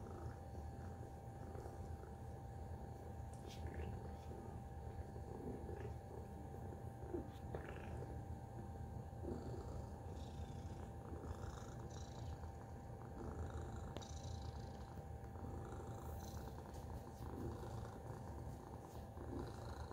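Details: Tacy the cat purring, a quieter low rumble running through the whole passage, partly blurred by faint voices and light rustling sounds in the background.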